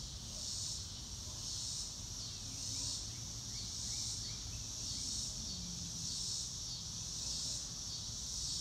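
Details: Cricket chorus in the open: a bright, high shimmering trill that pulses steadily roughly every second, over a soft low background hum.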